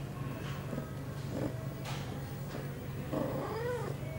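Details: Pia, a female cat aged eight months, in heat on September 23, 2011, shortly after her first birth control pill: faint murmurs over a steady low hum, then a wavering, drawn-out moaning meow in the final second.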